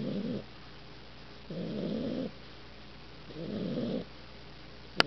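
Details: Newman, an 8-week-old Olde English Bulldogge, asleep his first night home, giving three long, steady, rasping snores about two seconds apart, ending with a sharp click.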